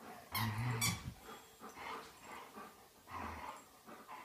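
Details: At home, Old English Sheepdogs Dolly and Chewy romp together. A deep, throaty growl lasts about half a second, joined by a high squeak. A softer, shorter growl follows later, with rustling and knocks in the room.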